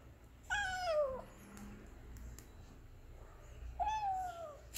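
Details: Hungry Persian kitten meowing indoors: two clear, descending meows, each about three-quarters of a second long and rich in harmonics, separated by a quiet pause with faint room noise.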